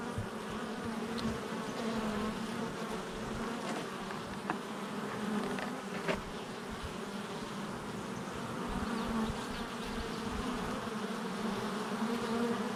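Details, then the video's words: Honey bees at a hive entrance on July 22nd, 2024: a dense, continuous buzzing hum with wavering tones near the low and middle pitches, many bees flying at once, with occasional faint clicks. "Honey Bee Hive Entrance Activity"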